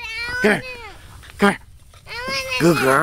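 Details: Beagles treeing a squirrel: three loud, ringing bays, each falling in pitch, the last one drawn out and wavering, with a person's voice nearby.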